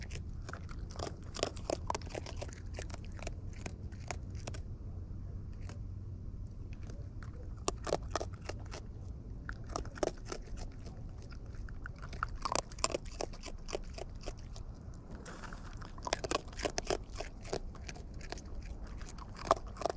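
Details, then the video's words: Wild raccoons eating close up: irregular crisp crunches and snaps of chewing, clustered in bursts with short quieter gaps, over a low steady rumble. "Wild Raccoons & ASMR Chewing Sounds"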